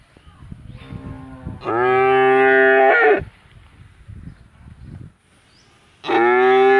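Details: Village cow at Rosulpur mooing in two long, steady harmonic calls, the first lasting about a second and a half and the second starting near the end, with faint background noises between them.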